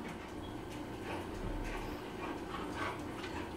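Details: Saint Bernard named Lula, happy and eager to go outside, gives short whimpering yips and barky bursts over a steady noisy background, with a woman speaking Spanish nearby.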